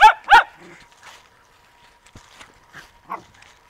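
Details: Zoe the Poodle, filmed 11/7/2009 on a Samsung DualView camera, gives two sharp loud barks in quick succession at the start, followed by quieter scattered sounds and a faint steady hum.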